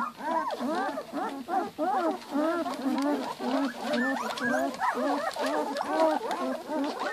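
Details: Two-week-old Giant Schnauzer puppies in a litter, giving a dense chorus of overlapping high, squealing whimpers that rise and fall in quick arcs, several pups calling at once without pause.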